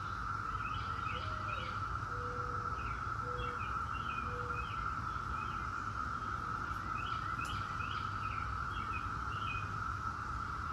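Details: 17-year periodical cicadas of Brood X in a steady, unbroken droning chorus at a single pitch, with short bird chirps and soft low whistles over it and a low rumble underneath.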